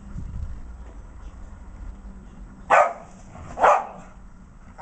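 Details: Two Patterdale Terriers named Jack and Alfie playing together; after a low murmuring background, three sharp, short barks ring out about a second apart.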